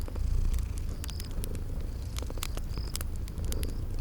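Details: Low, rumbling purr from sleeping kitties by a fireplace in spring garden ambience, crackling pops scattered throughout and a couple of short high chirps.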